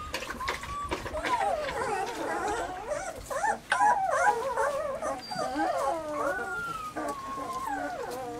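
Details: Three Weimaraner puppies, Bailey, Hailey and Jenny, recorded in summer: a tangle of wavering whimpers and thin howls from several pups, pitch sliding and bending, with a sharp knock midway.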